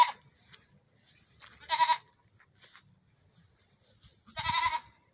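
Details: Goat kids during a morning run; two brief, wavering, nasal bleats a few seconds apart, with light rustling and a low thump near the second call.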